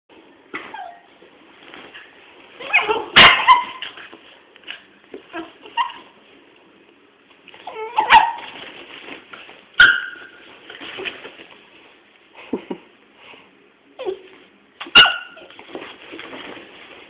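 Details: Small dog and big dog play fighting: short sharp yips and barks in scattered bursts, with growly scuffling sounds and a few loud cracks between them.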